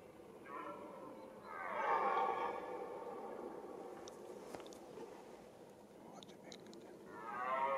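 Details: Rutting red deer stag in the mating season gives a deep, rich, harmonic roar lasting about two seconds, followed by quieter grunts and a fresh roar rising at the end; faint clicks and bird notes behind.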